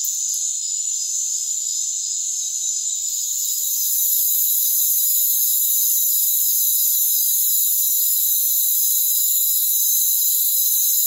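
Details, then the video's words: Rainforest crickets in a dense, unbroken high-pitched chorus of layered shrill trills, with no low sounds at all. The chorus swells noticeably louder after the first four seconds, then holds steady. "Rainforest Crickets"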